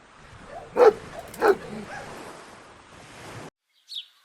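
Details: Dogs playing on a lush green meadow give two loud, abrupt barks roughly 0.7 seconds apart, followed by quieter rustling and a faint, brief chirp near the end.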